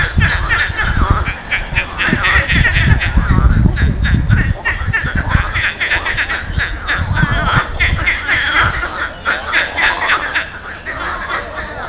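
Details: On a Monday morning in mid-April at the lily pond of Monet's gardens in Giverny, France, a dense chorus of frogs gives rapid, croaking, duck-like calls that overlap and compete.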